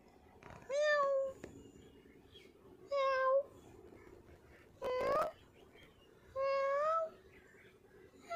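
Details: Cat giving four clear, drawn-out meows, each steady in pitch with a slight rise at the end, spaced about two seconds apart, with a short click and a faint rattle between them.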